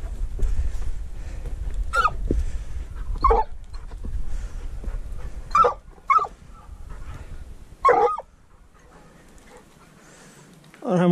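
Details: Treeing walker coonhound on a mink hunt alongside a dachshund, giving about five sharp, short barks spaced one to two seconds apart, with steady low rumbling handling or wind noise underneath and a brief pause near the end.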